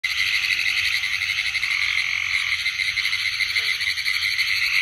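Pine woods tree frogs give rapid, rattling, Morse-code-like trains of clicks in a steady chorus.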